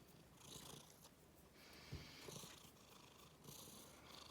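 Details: Domestic cat purring with a soft, low rumble while angry and disgusted at having its rear touched; quiet, steady purring with faint rustling throughout.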